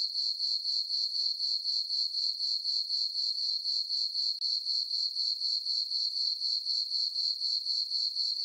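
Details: Crickets chirping on a peaceful summer night in a farm meadow under a full moon; one high, steady chirping band pulses about four times per second, evenly and without pause, with no other sounds.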